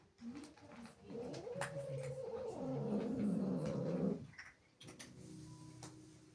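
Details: Female house cat, angered by kittens entering her territory, produces a sustained rumbling growl for about four seconds, warbling and uneven, followed by a short silence and faint indoor room sounds.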